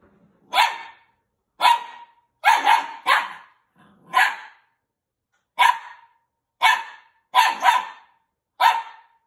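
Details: A male Maltese puppy barks at a toy, giving sharp, high yapping barks in irregular bursts, some doubled.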